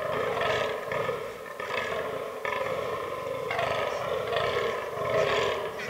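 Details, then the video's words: Fallow deer rut in autumn woodland, with albino and black bucks in the herd; rough, grunting groans run almost without pause, less clearly separated, under a constant low background. "Fallow Deer Rut 2022"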